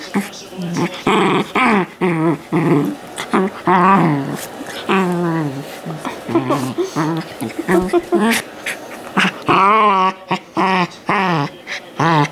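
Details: Sheltie puppy JJ, bred from an AKC champion sire in Colorado, USA, vocalizing indoors with choppy yowls, whimpers and rough growling bursts that rise and fall, mixed with a person's talking.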